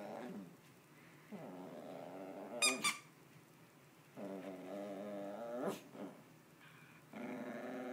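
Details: Playful growling from Percy, a pet dog, in long drawn-out rumbling bursts with steady harmonic bands and short pauses between them. A couple of sharp squeaks cut in midway, in a small indoor room.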